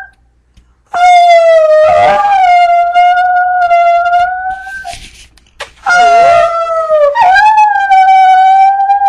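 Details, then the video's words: Monty, a brindle Chihuahua, howls while trying to repeat "I love you". Two long, steady, tonal howls, each opening with a wavering dip in pitch before holding level, the first lasting about four seconds. A short pause separates them. "Brindle Chihuahua says I LOVE YOU"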